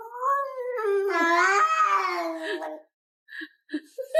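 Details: A pet cat that would not stop talking gives one long, drawn-out meow of about two and a half seconds. It rises, then wavers and falls, with rich harmonics. Short faint sounds and laughter follow in a quiet indoor room.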